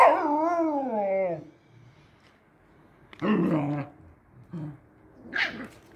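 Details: Husky first encountering a hunting dog puppy: a wavering, tuneful howl-like whine lasting over a second, rising and falling, then after a pause two short gruff barks and a higher yelp.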